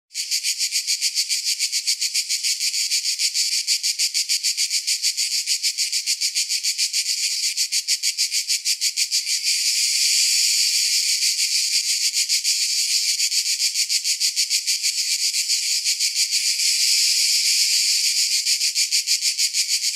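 A cicada keeps up a shrill, high-pitched buzz made of fast, even pulses. The sound holds steady throughout, swelling slightly louder partway through, with nothing else heard.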